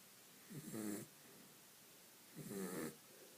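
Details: Vinny, a pet dog, snoring while asleep: two slow, rough breaths about two seconds apart, each a short rasping snort with a low rumbling buzz, separated by quiet pauses.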